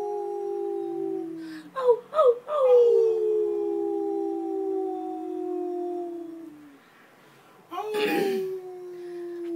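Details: A pet Pomeranian howls while being trained indoors: a long, smooth, slowly falling wail, broken by a few yelping breaks, fades out, then a second howl starts after a short pause.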